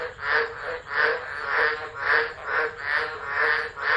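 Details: Tropical frogs singing during a tropical low storm at Driver, Northern Territory, Australia, 13 December 2013, phone set down and left recording; loud rasping croaks pulse in a steady rhythm, roughly twice a second, about eight swells in four seconds.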